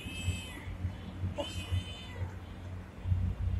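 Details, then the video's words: Friendly pregnant street cat in India giving two short, thin meows about a second apart, nearly buried under a heavy low rumble and constant background noise. "Meow Cat"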